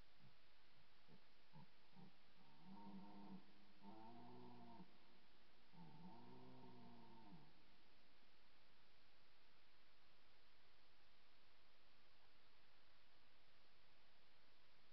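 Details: Red deer roaring loudly at close range during the 2024 rut, captured with a poor microphone; several deep, drawn-out harmonic groans between two and eight seconds, then only steady hiss.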